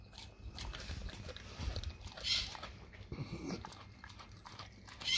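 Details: Dog chewing raw cow tongue, with slurping, tearing bites and a few louder moist smacks between quieter gnawing.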